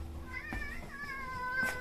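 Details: Drawn-out meow from an outdoor cat that stops seven rescued kittens in their tracks, a steady harmonic cry lasting over a second and falling slightly in pitch, with faint indoor shuffling and a brief knock.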